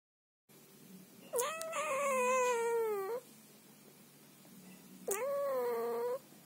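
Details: Female Scottish Fold cat at night in her owner's bed, refusing to be touched or hugged and angrily scolding him: a long drawn-out, slightly falling wail of nearly two seconds, then a shorter rising-falling meow after a pause.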